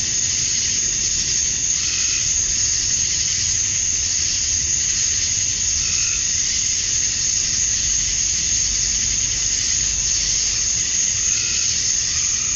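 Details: Male cicadas chorusing at summer dusk in Georgia, USA, calling to attract females: a dense, unbroken high-pitched hiss held at one level throughout, with faint softer buzzy swells beneath it.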